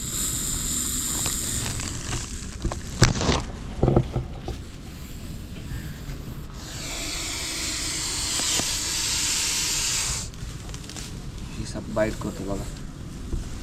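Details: Russell's viper hissing while being rescued near a house with overgrown grass. A long, harsh exhaled hiss lasting several seconds sits between handling knocks, thumps and brief human voices.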